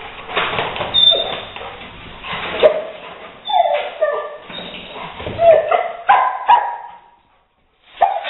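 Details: A Rottweiler named Leo excited by a gray squirrel intruder he later evicts through an open window; repeated whimpering and yipping notes amid busy scrabbling noise, ending in a short pause then one more burst.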